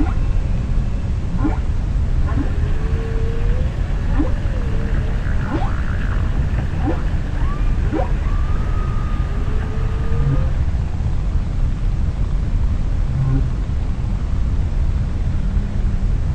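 Humpback whale song: drawn-out moaning tones, sliding upsweeps and wavering whistles over a deep, rumbling underwater background.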